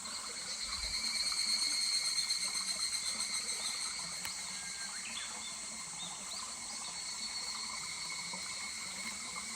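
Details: Higurashi cicada calling in July beside a murmuring stream at Kuragari Pass: a high, steady, pulsing trill with rhythmic swells in loudness, over a constant wash of running water.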